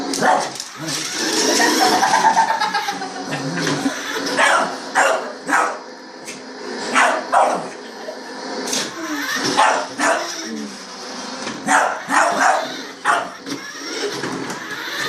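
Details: Titan, a pet dog, barks at a remote-controlled toy Hummer, the only thing he ever barks at, and the barking sets off sneezes; sharp barks come in irregular bursts every second or two over a steady mechanical hum and voices.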